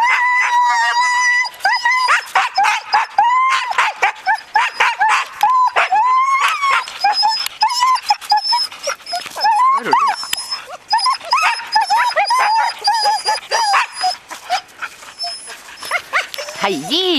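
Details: Siberian Husky yearlings Haidi, Znoke and Myrull with six-year-old Ravn on a 2011 spring run. Dense, overlapping high whines wavering and bending in pitch, cut by sharp yips and short howl-like notes, from several excited dogs at once.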